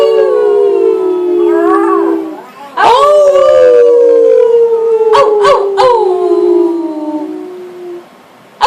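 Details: Frito the family dog howling with the family, August 2012: sustained howls that rise, then fall slowly over several seconds, with short wavering human howls layered in and a few sharp bursts near the end.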